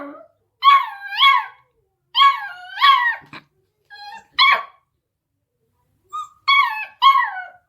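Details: Beagle puppy, eight weeks old, barking at a deaf cat: paired high howling barks with rising-falling pitch, some softer whines between, and a closing double bark.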